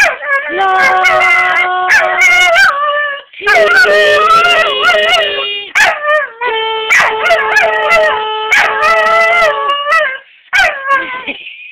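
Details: EC the dog howls along while a scale is sung: wavering, sliding howls over a steady held note, broken into phrases with short pauses, repeated bursts and yips between the notes.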